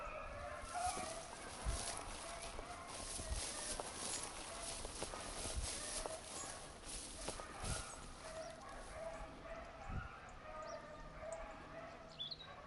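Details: Hunting beagle on 19 October 2022, hare lost: far-off hound voice giving uneven baying yelps over a steady outdoor hiss, with a few faint bird chirps near the end.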